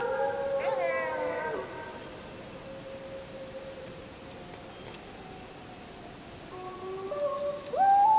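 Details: Full-moon wolf howling, 31 July 2015, captured on a JVC Everio GZ EX215 HD camcorder; layered howls open and fade into one faint sustained note, then several voices rise again, ending with a sharp upward-sweeping loud howl.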